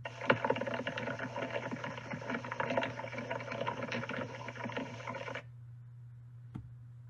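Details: Ants walking around on a plant, likely tending treehoppers and annoyed at the disturbance, some attacking the accelerometer; recorded as plant-borne vibration, a dense crackling patter of tiny irregular ticks like light rain.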